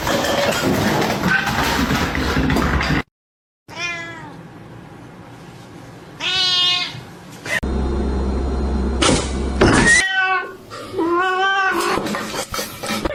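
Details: Domestic cats in a funny pet compilation giving a series of separate rising-then-falling meows, some short and some stretched, between loud stretches of noisy background sound and clatter.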